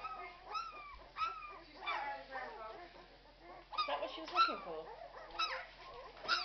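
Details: Irish Red and White Setter puppies, twelve days old, letting out wavering whines and short squeals, some long and sliding downward, interrupted by brief louder yelps.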